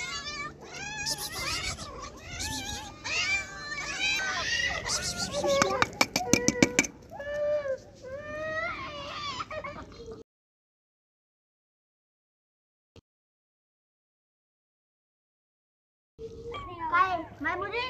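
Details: Angry kittens cry out in rapid, high-pitched meows that waver up and down in pitch, overlapping densely for about ten seconds with a short burst of clicking midway, then fall silent before the meowing resumes near the end.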